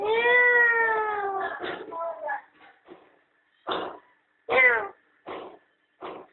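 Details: Domestic cat, a mother with her playful kittens enjoying the sun at home; a long drawn-out meow opens, followed by a string of shorter broken meows and chirps spaced about a second apart, with music and indistinct voices behind.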